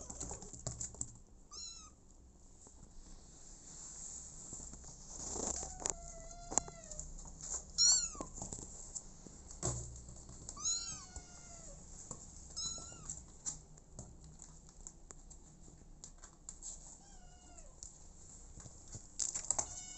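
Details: Abandoned kitten later adopted by mother cat Smokey, giving short, high, arched meows in irregular bursts, some in quick pairs, with sharp taps and clicks and a steady faint hiss between calls.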